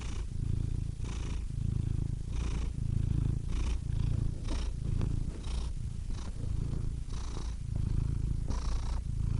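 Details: A cat purrs continuously, its deep vibrating drone rising and falling with each breath, soft hissy inhales repeating every second or two, no other animals or noises heard.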